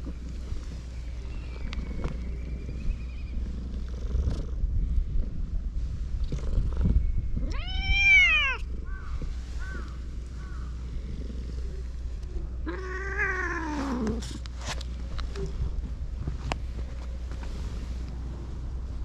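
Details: Affectionate cats on a cat island crowding around a walker. Two clear, drawn-out meows rise then fall, one near the middle and a longer one later, over a low steady rumble with faint shuffling and quieter chirps.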